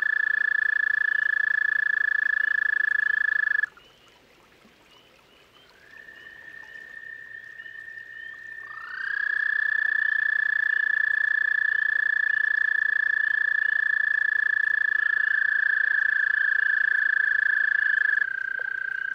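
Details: Toads calling at a garden pond: long, steady, high trills, each held for several seconds, break off, then resume, with one trill overlapping the next. A brief quiet gap comes near the start.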